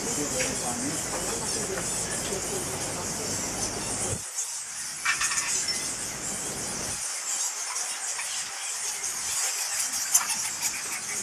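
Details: Constant shrill chatter rises from a huge cave colony of fruit bats at Goa Lawah Temple, Bali, heard from a short distance. Thin squeals overlap without pause, and a brief lower rustle fades out midway.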